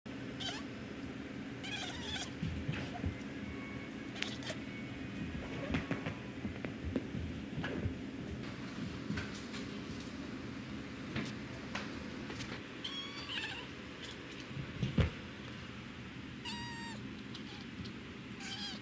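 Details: Cat making curious clicking noises: faint, scattered bursts of rapid chattering clicks and a few brief squeaks over a constant low hum.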